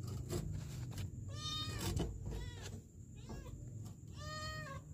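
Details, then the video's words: A kitten trapped in a sewer in Kenya, December 2023, gives two or three clear, harmonic meows, each rising then falling and about half a second long, over steady low rumbling noise and a constant high hum. "KITTEN trapped in the sewer"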